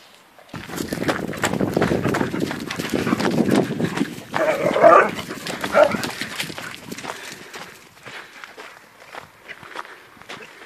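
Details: Hungarian Vizslas Poppy and Cleo, a family's pet pair, playing energetically: dense low rumbling growls fill the first half, then brief higher-pitched vocal bursts, fading into scuffling and movement noise.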